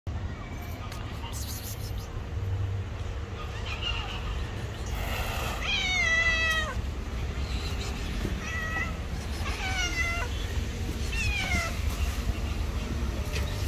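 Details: Two stray street cats that hated each other meet and fight, trading drawn-out wavering yowls that rise and fall, in bursts roughly every one to two seconds, over a steady low background rumble.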